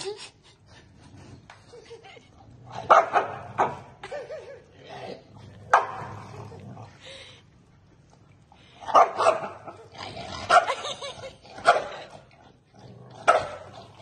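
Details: Two Pembroke Welsh Corgi brothers squabbling angrily, trading loud harsh barks and yaps in clustered bursts separated by quieter growly pauses, with faint human voices in the background.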